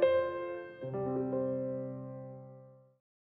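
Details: A few sustained electric piano chords ring out and slowly fade away. No animal sound is present.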